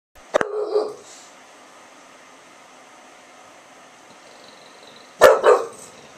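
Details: English Bulldog Milton in Oklahoma barking out an open window on September 6, 2011, answering a yappy little dog down the street; two loud barks about five seconds apart, separated by quiet room tone.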